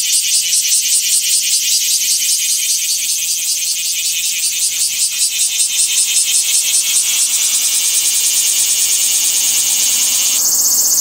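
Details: In Fukuoka, Japan, a cicada produces an intense, high, rapidly pulsed buzz throughout, the throbbing rhythm shifting to a smoother steady drone toward the end.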